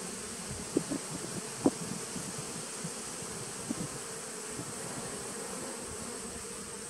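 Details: Honey bees in a 2017 nuc on 19 September 2018: soft, continuous low buzzing broken by several sharp clicks or knocks, two of them loud within the first two seconds, with a faint high whine behind.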